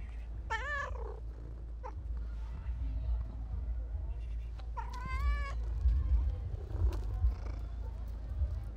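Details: Chunky calico street cat in Turkey meowing for food: two loud, drawn-out, wavering meows about four seconds apart, the second longer and rising-falling, over steady low traffic rumble and faint street noise.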